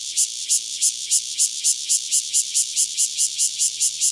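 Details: A single Cryptotympana takasagona cicada near Dona village, Kaohsiung County, Taiwan, sings loud, high, hissing buzzes, pulsing steadily about three to four times a second, over a faint low hum.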